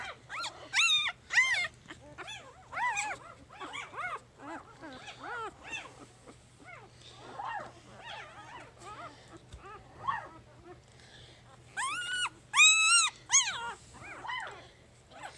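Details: Three-day-old puppy, a female, squeaking and squealing in a rapid irregular series of high arched cries, some louder bursts near the end, with faint background music.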